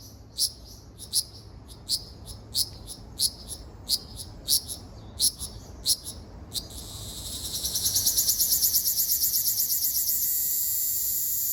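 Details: Song of a Ryukyu large brown cicada, Okinawa Island, 17 June 2026. Regular sharp high clicks about once a second build into a continuous, rapidly pulsing, hissing buzz that holds steady to the end.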